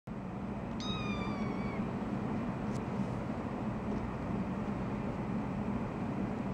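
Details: Three-week-old orange foster kitten play fighting with her tortie sister and biting jeans in a lap. One short, high mew falls in pitch near the start, then only a steady low hum continues.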